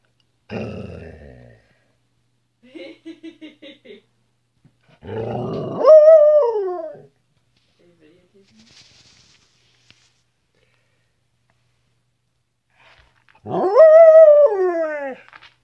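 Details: Pet female Flat-coated Retriever 'talking' to her owners indoors: short grumbles and a stuttering series of soft yips, then two long, wavering, descending 'rooo' vocalisations several seconds apart, with quiet gaps between.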